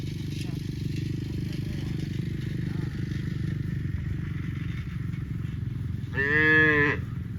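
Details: A cow gives a single loud, drawn-out moo near the end, over steady low rumbling, while cows eat grass.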